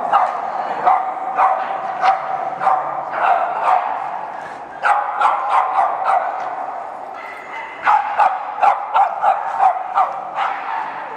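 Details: Group of Boston Terriers at a Chicago meetup, barking excitedly: rapid bursts of sharp, high yapping barks, several per second in clusters, over a steady background of many dogs yipping at once.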